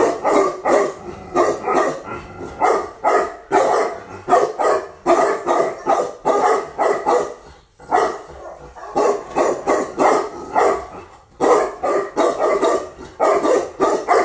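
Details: Female Tibetan Mastiff, newly imported from Russia, barking continuously: rapid loud barks in quick runs, with two short pauses near the middle and toward the end.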